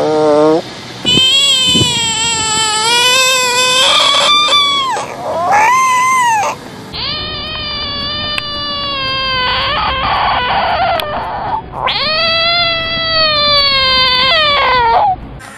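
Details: A frog, described as throwing a tantrum, screams in several sustained, harmonic bouts of one to three seconds each. The bouts are separated by short gaps, and some end in a falling wail. Other noises mix in between the bouts.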